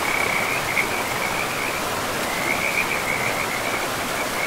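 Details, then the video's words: Frogs near a river deep in a pristine forest, trilling in bursts with brief gaps, a high rattling chorus that fades and returns under the even roar of flowing water. "River and Frogs sleep sounds"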